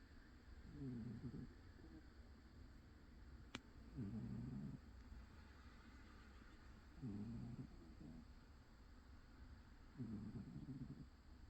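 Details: Old cat snoring while napping indoors: four low, rough breaths spaced about three seconds apart, each a short raspy burst, with a faint steady background hum and one sharp click partway through.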